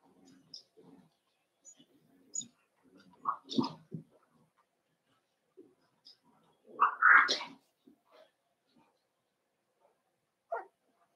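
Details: Cavalier King Charles Spaniel puppies in an indoor pen meeting bigger household dogs, with scattered soft whimpers and short yelps leading to a louder, drawn-out squealing cry in the middle, then a final brief yip.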